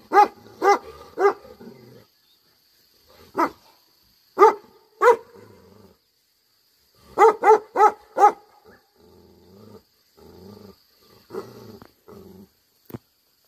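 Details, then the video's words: Bhote Kukur, the Tibetan Mastiff, barking in anger: three spaced barks, then two singles, then a fast run of four, with soft low muttering and quiet stretches between bursts. "Angry dogs barking effect sound ||Tibetan Mastiff || Bhote Kukur"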